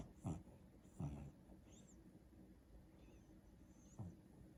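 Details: Daisy the pet dog, asleep on the back of a couch and dreaming, lets out low grunting huffs about once a second, mixed with faint thin high whines.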